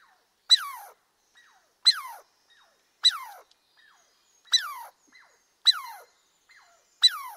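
A squirrel calls over and over, each note a sharp high click that slides quickly downward into a squeaky, nasal whine. The calls come at a steady pace of about one every second and a half against a quiet background.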